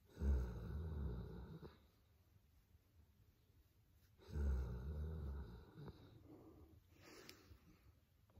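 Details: Boerboel named Molly, a big mastiff-type dog, snoring on a lazy morning while getting a head massage; two long, low rumbling snores about four seconds apart, with quiet breathing between them indoors.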